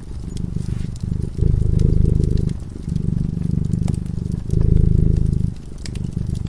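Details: Steady low rumbling purr from a cat asleep before a crackling fireplace, rising and falling with each breath in roughly one-second surges, accompanied by light popping of burning wood.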